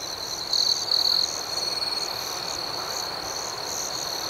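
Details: Cricket chirping at night: early on, a close cricket gives two short, loud, rapid pulsed chirps, set against a steady shrill ringing chorus and a higher, softly throbbing insect buzz.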